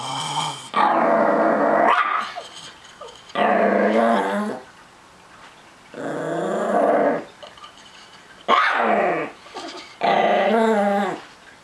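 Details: Possessive Chihuahuapin, a Chihuahua-Miniature Pinscher mix, defending his treats with loud, harmonic growls in five bursts of one to two seconds, some rising into snarling bark-like edges, with quiet gaps between.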